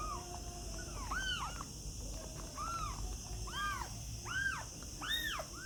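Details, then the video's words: Kittens mewing: a run of short, high, arched mews, some rising and falling, coming roughly once a second, several overlapping at times, over a steady background hiss. "cute and funny kittens sound | cat voice"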